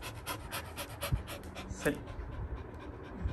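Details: Labrador retriever puppy, excited after someone shakes a paw ball toy, panting in quick, uneven breaths about eighty a minute, with a person briefly giving commands nearby.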